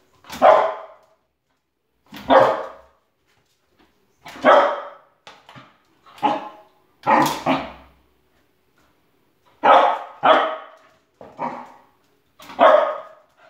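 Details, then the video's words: Loki the spoodle, not quite a puppy anymore, barks while chasing shadow animals: about ten sharp barks, some in quick doubles, spaced roughly one to two seconds apart in a quiet room. "Dog Chasing Shadows"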